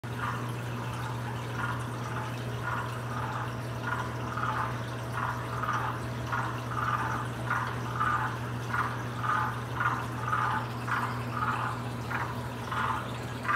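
Short, hollow, slightly liquid clucks come from a waxy monkey tree frog, repeated at an uneven pace of nearly two per second. The male uses this mating call to attract females, over a steady low electrical hum.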